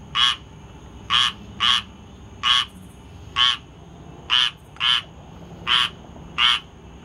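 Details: A squirrel tree frog gives short, raspy, nasal calls in irregular bursts about every second, recorded on 19 August 2022.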